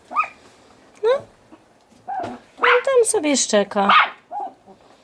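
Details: A male Yorkshire Terrier puppy gives a run of shrill, yappy barks, with a man talking nearby.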